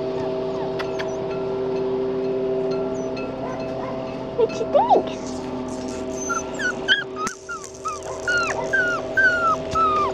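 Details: Red tri male Australian Shepherd puppy giving soft, high whimpers and short falling yips, more frequent in the second half, amid a woman's voice, clicks and a steady background hum of music.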